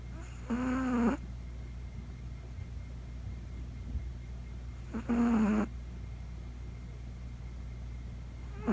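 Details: Chihuahua puppy Poko sound asleep at night, snoring for the first time: two drawn-out, buzzy, low droning snores about half a second long, roughly four to five seconds apart, with a quiet room hum between them.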